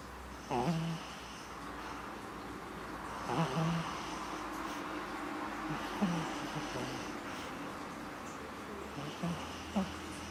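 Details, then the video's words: Ruby the dog snores while sleeping with open eyes: short low, wavering snorts recur about every three seconds, each a brief rasping breath over a quiet, steady background hum. "Ruby schnarcht mit offenen Augen"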